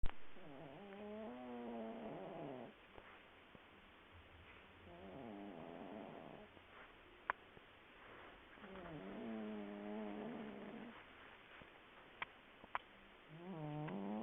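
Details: Willow the cat, deep asleep, snoring: three long droning breaths with stacked buzzy tones around a low hum, each lasting about two seconds and separated by quiet pauses, in a hushed indoor setting with occasional small clicks.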